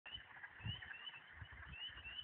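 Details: A dense chorus of frogs in Michigan in spring, high rapid trills blending into a continuous, shimmering drone.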